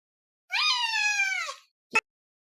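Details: A pet cat meows at feeding time, giving one long, drawn-out, clearly pitched meow that holds steady and then sags slightly at the end, lasting about a second. A short knock follows, and a person speaks afterwards.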